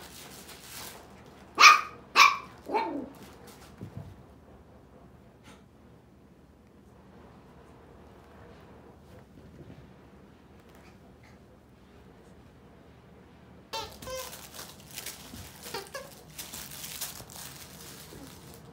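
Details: Male miniature poodle puppies, indoors: a quick run of three or four sharp, high yelps near the start, then a long quiet stretch, and later faint squeaks mixed with scuffling and rustling.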